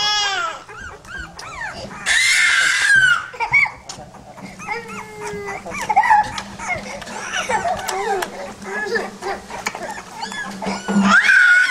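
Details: Several pit bull puppies whine and yelp, with high descending cries in a loud burst near the second second and more near the end, plus scattered short squeaks and yips throughout.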